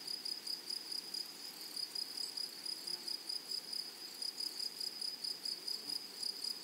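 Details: In a flowering meadow, grasshoppers produce a continuous high rasp broken into quick rhythmic pulses, several per second, steady from start to finish over soft ambient noise.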